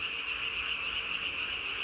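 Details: Japanese tree frogs heard at night on 3 May 2020, the calling male's throat sac swollen as large as its body; continuous shrill trilling hum with an even, slightly pulsing texture and no pauses.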